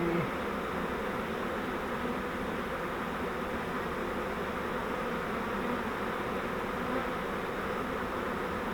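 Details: Honeybee swarm caught in a flowerpot bait-hive swarm trap: a dense, steady, unbroken hum of many bees fills the whole recording, with no voices.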